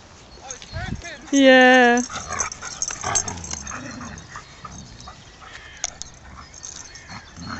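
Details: Dogs playing at Beckenham Place Park: six-month-old saluki puppy Amir with his friend, a malamute named Sasha. One loud, drawn-out, tonal whine of under a second, rich in overtones, followed by people talking and rustling.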